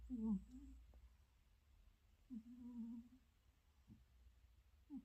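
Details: Sleeping domestic cat lying beside its owner and snoring, keeping the owner awake at night: low, humming, slightly wavering snore sounds, one long drawn stretch near the middle and shorter murmurs at the start and end, in a quiet room.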